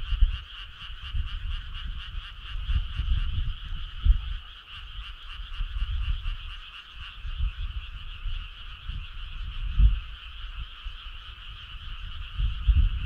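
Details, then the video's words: Summer-night frog choir, a constant buzzing trill of quick repeated croaks in two pitch bands, steady throughout, over intermittent low thumping rumbles. "Cool frog sound"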